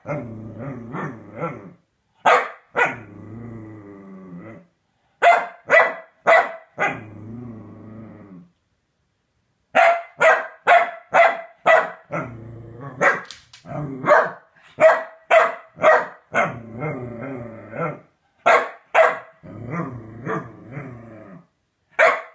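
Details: Chunk E. Sausage the corgi, with a femur bone, alternates bursts of sharp repeated barks with long low rumbling growls, pausing briefly between runs.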